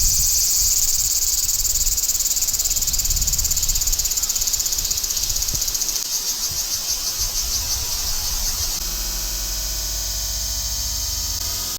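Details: Large brown cicada calling, a loud continuous high sizzling buzz that holds steady for several seconds, then breaks into a fast pulsing rattle before settling into a thinner, even drone.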